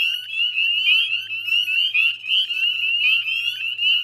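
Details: Northern spring peepers massed in a wetland chorus at dusk, Chezzetcook, Nova Scotia, Canada, May 2020; piercing short upward whistles overlap constantly, loudness swelling and dipping about once a second.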